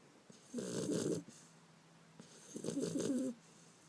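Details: A sleeping Beagle puppy, Bender, recorded 5 February 2012, gives two long, rattling snores, each lasting about three-quarters of a second and two seconds apart, joined by a faint low hum in the gap.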